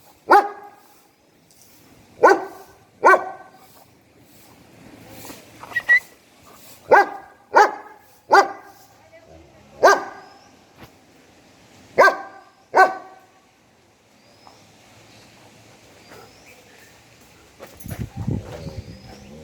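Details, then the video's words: German Shepherd barking at its owner: sharp, deep barks repeated in irregular bursts, around eleven in total, then quieter background sounds and a rustling thud at the close. "German Shepherd barking on me !!"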